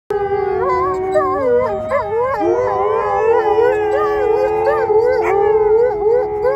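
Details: Several wolfdogs in the United Kingdom howl along with their owner: long sustained wavering tones with rich stacked harmonics, voices overlapping and sliding up and down, some dipping and rising in short bends, continuous throughout.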